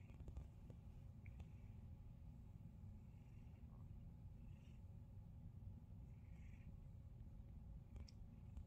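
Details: A male domestic cat purrs during his morning massage, a low, steady, continuous rumble with faint rustling above it.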